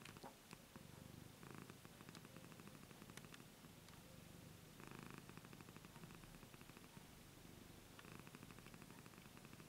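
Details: A 15-year-old domestic cat purring: continuous low vibrating rumble rising and falling with each breath over several cycles, a few soft clicks and rustling sounds.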